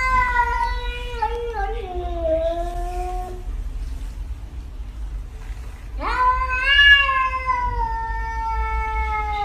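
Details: Pet cat meowing in two long, drawn-out cries, each about three seconds: the first wavers and slides downward, the second rises sharply then slowly falls, with a low steady hum underneath.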